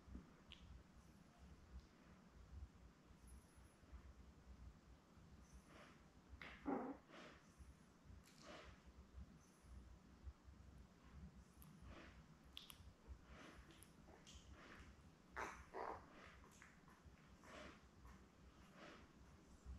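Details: Newborn Labrador Retriever puppies, seven born May 24, 2021, with their mother Belle in a puppy cam on June 4, give scattered soft whimpers and squeaks amid rustling, shuffling and low background hum.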